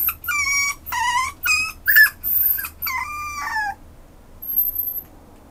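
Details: Westiepoo dog giving a run of high, wavering whines and yelps, about six short cries within four seconds, some sliding up then down, followed by near quiet and a faint high tone.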